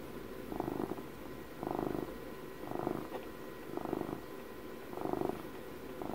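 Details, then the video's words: Purring from a twelve-year-old pet cat recorded close for relaxation, five rhythmic swells of low buzzing rumble about every 1.1 seconds, quiet steady background hum throughout. "ASMR CAT PURRS"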